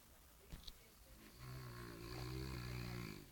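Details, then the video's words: French Bulldog named Jean Paul snoring on cue while being coaxed indoors; a long, steady, low rasping snore with rapid fluttering pulses sets in after a couple of clicks, with a man's voice urging it on. "Bulldog Francês- Jean Paul Supercão ensinando a roncar de dengo"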